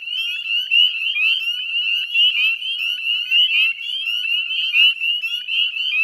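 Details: Northern spring peepers calling in a dense chorus at dusk on 18 May 2020 beside the Chezzetcook salt marsh, West Chezzetcook, Nova Scotia, Canada; countless high, rising peeps overlap continuously, with a few lower trilling notes beneath.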